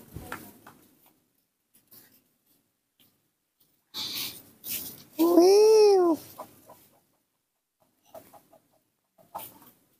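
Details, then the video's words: Baby monkey Nomi throwing a tantrum because it does not want to be hugged: a loud, drawn-out squeal that arches up and then falls over about a second, after short rough bursts, with faint clicks and rustles around it. "Baby monkey Nomi's tantrum, who doesn't want to be hugged, is upsetting"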